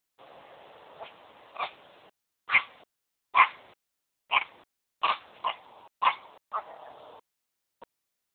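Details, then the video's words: Smoochie, a pet dog, barking for the first time: short sharp yappy barks in an uneven series, about one each second, over a faint steady background hiss. "Smoochies first bark"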